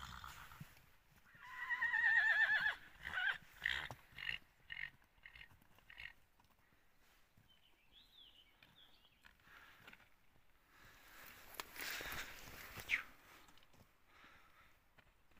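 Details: Wild horse, a stallion, neighs: a loud descending whinny at about two seconds breaking into a rapid series of pulsed snorting bursts, followed by quieter stretches and a faint distant call near eight seconds.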